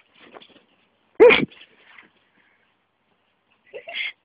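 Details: Playing with a hand, Vixen the micro Miniature Pinscher gives a short, loud, tonal yip amid soft breathy snorts, then a quiet gap before more snuffling huffs at the end.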